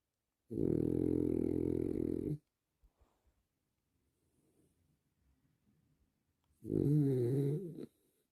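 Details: French Bulldog snoring while relaxing, two long rasping, vibrating snores about four seconds apart, with faint soft breathing sounds between them in a quiet room.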